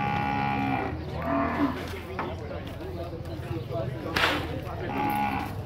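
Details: Nelore cattle unloaded at the cattle fair in Tabira, Brazil: two short, level lowing calls at the start and another near the end, amid corral bangs, a sharp crack and background chatter.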